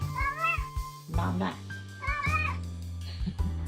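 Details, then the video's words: Pet cat meowing in a talking style, two drawn-out wavering meows with a rising-falling contour, interleaved with a woman's voice speaking and background music. "Talking cat"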